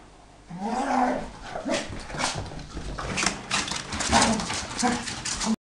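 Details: Beagle and jack spaniel at rough play indoors, the grown dog refusing to leave the other alone; bursts of throaty grumbles, whiny yelps and growls tumble over each other, with thumps and scrabbling paws in a small room.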